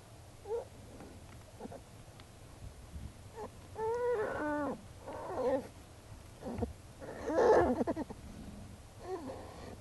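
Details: Jewel, a wild American black bear, in her den with her cubs on March 18, 2012, filmed during a researchers' visit. Wavering, whining cries with rich harmonics come in short bursts, some rising into squeals, over a quiet background.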